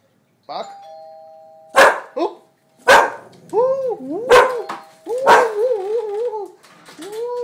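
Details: A pet dog barking when the doorbell is pressed: a two-tone chime opens, then sharp barks burst out about once a second among wavering, whine-like tones, with people talking throughout.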